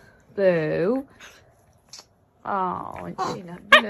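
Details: Domestic cat indoors giving two drawn-out, nasal meows about half a second each, the second sliding downward, followed by short clipped chirps and a sharp squeak in a small room.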